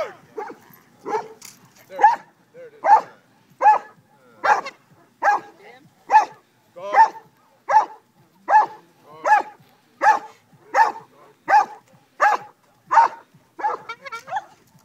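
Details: Cane Corso barking at a decoy in a Mondio ring face-attack exercise, open-field trial on 17 February 2012: loud, harsh barks repeated steadily about every 0.8 seconds, nearly twenty in a row.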